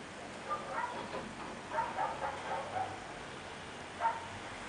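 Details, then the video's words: Young Chihuahuas playing let out thin, squeaky yelps and whines, several tumbling together early on, then one sharp yip near the end. "baby chihuahuas playing"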